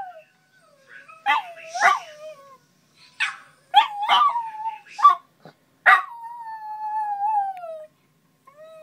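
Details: Teddy, a Westie, howling himself awake in the morning while one of his old videos plays: short broken yips and whimpering bursts, then a drawn-out descending howl lasting about two seconds near the end.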